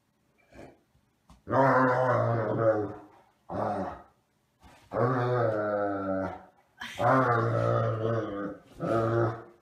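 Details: A Great Dane gives a run of deep, drawn-out groaning grumbles, each a second or more, while two Great Danes play-fight for space on a bed.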